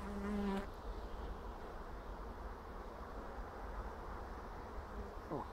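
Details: Honey bees at an apiary in April, 2016: a steady low hum of many bees fills the clip, with a brief tonal whine near the start and faint rustling as a frame is handled.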